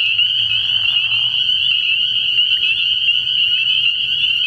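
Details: Night chorus of many spring peepers at a frog pond early in the year: a steady, ringing high-pitched drone of overlapping peeps, a short lower raspy trill near the start and a faint low hum.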